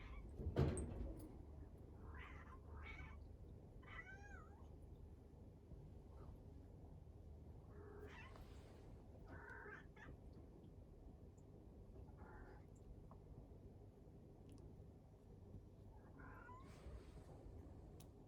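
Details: Cats meowing: several short, wavering meows with rising and falling harmonics, spaced irregularly, some brief and some drawn out, over a steady low background hum.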